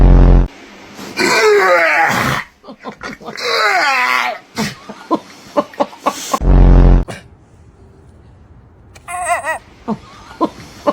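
A dog makes odd groaning, wavering vocal noises with bending pitch, followed by a few short squeaky yelps.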